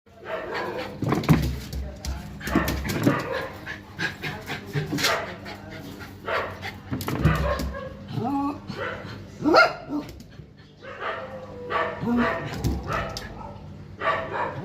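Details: A pet dog barking indoors: short, rough barks come at irregular intervals over a low steady hum, mixed with people talking throughout.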